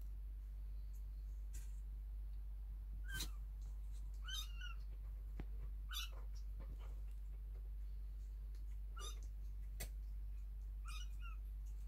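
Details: Awake kittens in the nest between nursing and cleaning by their mother give repeated thin, high meows. There are about five short arched cries scattered over twelve seconds, mixed with scratchy clicks and rustles of movement and a constant low background hum.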